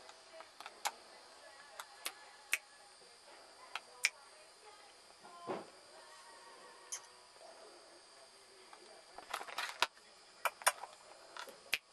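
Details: Scattered sharp clicks and taps over a quiet background with faint voices, and no animal call.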